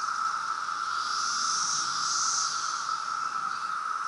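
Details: Reston, Virginia, 2017 emergence of a loud periodical cicada brood: an unbroken shrill drone with a high rushing swell building and ebbing in the middle, no other sounds standing out.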